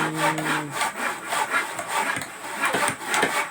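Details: Steady rasping strokes of a saw cutting wood, repeated rhythmically, with a short tonal hum at the start; no animal calls.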